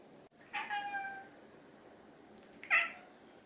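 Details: Hungry pet cat, one of two named Chai (orange tabby) and Sushi (silver tabby), meowing indoors to ask for food; two separate meows, the first drawn out and level, the second shorter and sharper, with quiet room hiss between.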